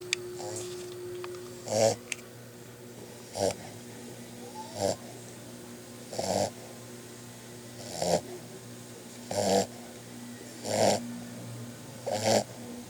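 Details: Santos, a puppy, snoring in his sleep: short breathy snores repeat roughly every one and a half seconds over a steady low hum, with a faint tone near the start.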